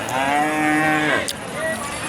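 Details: Cattle at the Raniganj cattle market, Ghoraghat, Dinajpur, Bangladesh, on Monday 6/3/2026: one loud, drawn-out harmonic moo lasting about a second, then falling off, with faint market background behind.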